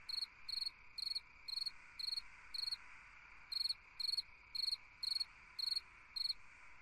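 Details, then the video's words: Summer-night chirping of a cricket: clear, high chirps in an even rhythm, roughly two per second, each made of a few rapid pulses, with one short break midway and a soft continuous hum behind. "Chant d'un grillon dans une nuit d'été / Singing a cricket in a summer night"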